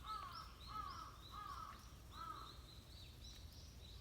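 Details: Lost kitten trio playing with people after the rain, an older brother cat nearby; short arched mews come in quick succession, about one and a half per second, over high thin chirps and a low background rumble.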